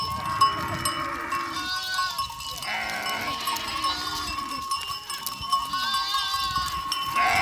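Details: Several goats calling during drought emergency relief work at livestock farmers' doorsteps in Bhadaro village, Mithi, Tharparkar: shaky, drawn-out bleats overlap with clanking bells and faint background voices.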